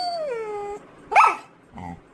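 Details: Labrador Retriever asking for a carrot, giving a long high whine that slides smoothly downward, followed by a sharp yelp and a short low grunt.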